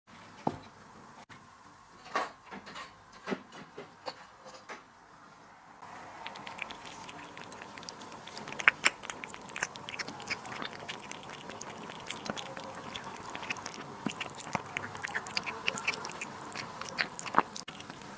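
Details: Cat eating duck liver and sterilized egg indoors; quiet start with a few sharp clicks, then steady wet chewing and biting with frequent crisp ticks and smacks over a faint hum.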